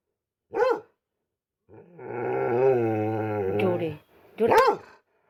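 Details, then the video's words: Pet dog barking: a single sharp bark, then a long steady droning tonal sound lasting about two seconds, and a second bark at the end. "MY LOVELY PET IS BARKING"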